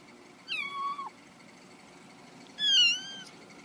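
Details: Domestic cat giving two meows: a first falling, slightly wavering call, then a pause of about a second and a half and a louder, higher, rising-then-falling meow, over a faint low background hum.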